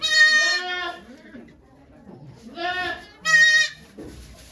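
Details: Loud, quavering bleats, three in quick succession with quiet gaps, as the goat Okayu delivers two kids at Yoshigake farm on 3 May 2023 before a crowd of volunteers.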